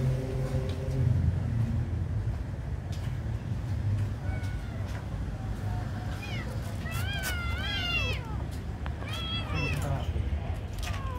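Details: Beautiful kitten given food, crying several loud, high, quavering meows in quick succession, with a few fainter cries before them and a steady low hum in the background.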